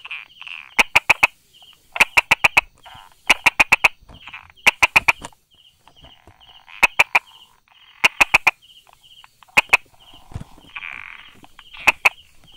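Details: Brauer's tree frog hiding among rock crevices and small grass, recorded 22 July 2016 at 10:44, gives sharp tapping 'da-da' clicks in bursts of three to five, repeated roughly every second, over a steady high pulsed buzz in the background.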